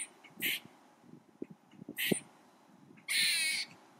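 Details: A very vocal squirrel shaking its tail as if for emphasis while calling; harsh, noisy bursts come in three short blasts, the last one longest, with faint low rustling between them.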